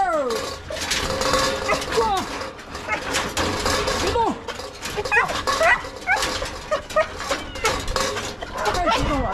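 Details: Golden retriever Pipi at a rural family home, greeting a returning granddaughter and trying to climb into the car, where it gets stuck; excited high, sliding whines and whimpers repeat throughout, overlapping steady human talking.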